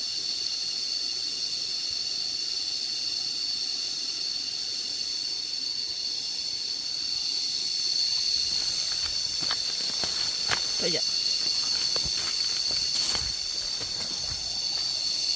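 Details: Cicadas heard on an outdoor walk, listened to while lying down: a steady, piercing high buzz that never pauses, with a burst of scattered clicks and taps in the second half.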